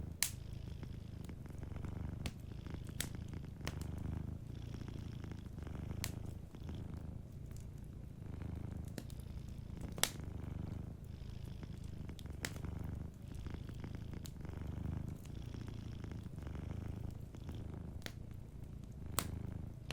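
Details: A cat asleep near a fireplace purrs in a low, even drone broken into regular breath-length pulses, accompanied by scattered sharp snaps and crackles of the fire.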